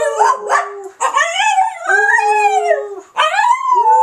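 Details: Charlotte the dog howling in answer to people howling; yelping onset then drawn-out rising and falling howl notes with layered harmonics, three phrases.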